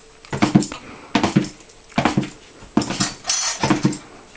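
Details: Miniature Pinscher named Holly bouncing at dinner time, giving short, strained whining yelps in five bursts roughly every 0.8 seconds, each burst a quick cluster of rough, mid-pitched notes with brief quiet gaps between.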